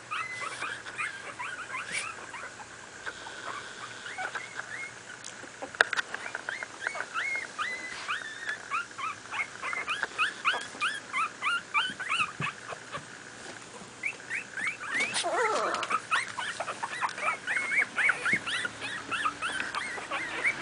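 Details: Two-week-old Miniature Pinscher puppies from a litter born 28 July 2008 squeak and whimper while playing, in quick bursts of thin, high whines that bend up or down. Several pups call over one another almost continuously, with soft rustling underneath.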